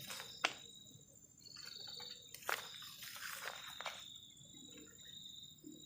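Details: Crickets on a cold night at a forest edge give a steady, high, thin trill, broken by a few sharp clattering knocks nearby.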